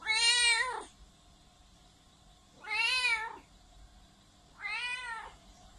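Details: A cat meowing very loudly: three drawn-out, harmonic-rich meows, each rising then falling in pitch, spaced about two seconds apart, the first the loudest, with quiet pauses between.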